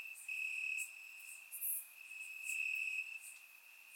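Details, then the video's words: Summer-night crickets in Bulgarian grass: one continuous high-pitched trill runs throughout, swelling louder and softer, with faint buzzy insect pulses layered above and no other sounds. "Cricket Sounds - Crickets Chirping at Night"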